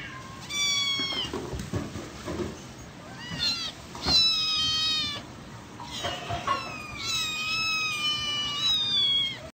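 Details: Little kittens meowing and talking: repeated high-pitched mews, some short and some long and wavering, coming in clusters throughout, several overlapping callers, with faint background noise.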